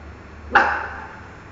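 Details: A single short, moderately loud bark from Miki the dog, directed at a mango, over a low steady background hum.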